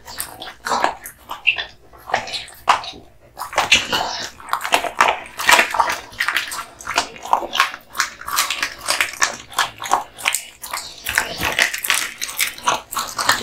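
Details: Male American Bully Kotetsu working through duck spine jerky; crackling, crunchy bites alternate with moist mouthing sounds, coming in fast bunches after a short lull near the start.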